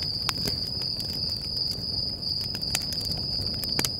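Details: High, steady cricket trill with slight pulsing at night by a campfire, Stoney Creek Campground, Sequoia National Park, California; bright crackles and pops from the fire punctuate the sound.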